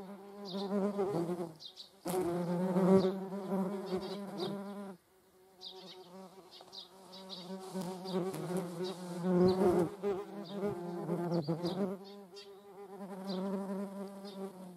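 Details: Median wasps (Dolichovespula media) alongside honeybees: a steady, low droning flight buzz with rich harmonics that rises and fades as insects pass close, broken by a brief quiet gap midway and soft clicks.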